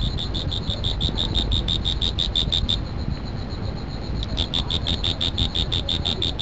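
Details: Insect producing rapid high-pitched chirps in a steady series, breaking off briefly in the middle before resuming; constant low rumble in the background.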